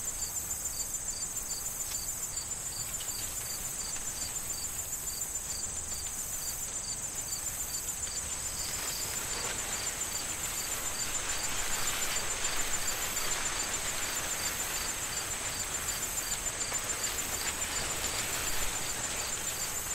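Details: In an autumn corn field awaiting harvest, crickets keep up a steady, high pulsing chirp over the dry rustle of wind-blown corn stalks.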